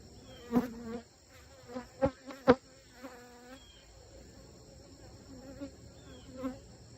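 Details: Honey bees around a thriving hive, the hives stacked five or six high. Several loud buzzing fly-bys, each a low humming drone with rich overtones that swells and fades within a second. Quieter droning fills the gaps, with faint high chirps in the background.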